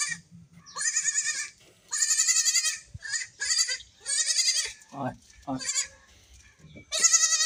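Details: Baby goats playing and jumping, a lone kid crying without its mother; a rapid run of loud, quavering high bleats with short breaks, some lower brief cries, and light handling noise.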